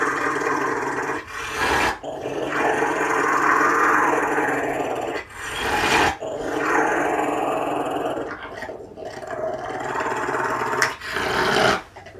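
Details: Rottweiler near a caracal making a continuous throaty rumbling purr, drawn out in long stretches broken by brief breathing gaps.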